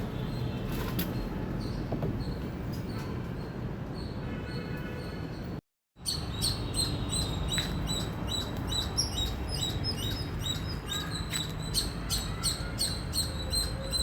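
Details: Indian squirrel chirps: scattered high notes at first, then after a brief silent break a dense, rapid run of sharp chips, close to three a second, over low background noise.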